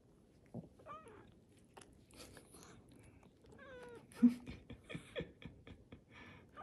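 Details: Cream-coloured Korean shorthair cat giving two short falling mews a few seconds apart amid indoor rustling and clicking sounds.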